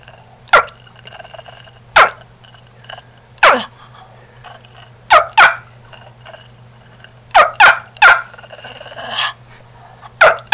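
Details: A 4-year-old male Shih Tzu with an unusual, never-mastered bark, likened to a chicken, turkey or rooster, gives sharp, high barks, singly and in quick pairs, at uneven intervals.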